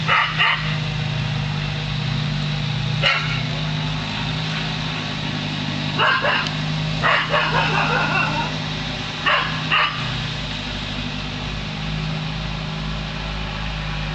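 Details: Border collie named Lasky barking at a hot air balloon: short sharp barks in scattered bursts near the start, around three, six to eight and nine to ten seconds, over a steady low engine-like rumble throughout.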